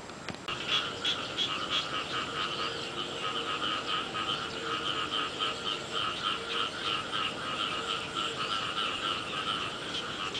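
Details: Early-year rain with frogs: a thick, unbroken chorus of fast trilling croaks, layered callers overlapping in pulsed bursts, a faint lower note threading beneath, steady throughout.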